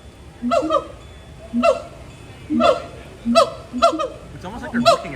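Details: Throat calls from captive gibbons at Disney's Animal Kingdom, a long animated vocal display; spaced bursts of bright, harmonic honks roughly every second, each paired with a brief low hoot.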